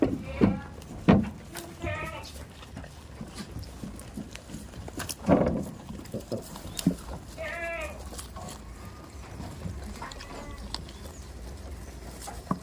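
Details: Tame goats on a farm, bleating in several short harmonic, wavering cries scattered through the clip, some overlapping, with knocks, thuds and faint farmyard noise in between.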